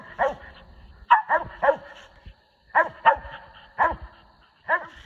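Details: Hunting squirrel dog, one of SonnyBoy and Kodak, on the Tensaw River, gives strong chesty barks, often two or three in quick succession, then a short gap before the next burst.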